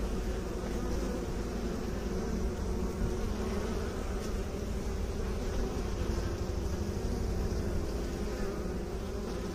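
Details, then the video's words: Steady, dense droning of bees, with beekeepers mentioned. The low hum holds an even level and carries slight rough flutter throughout. "Bee song"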